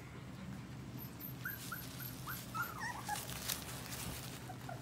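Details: Four-week-old English Golden Retriever puppies give a string of short, high squeaky whimpers, some sliding up and down, scattered over a few seconds against a steady low hum and soft rustling.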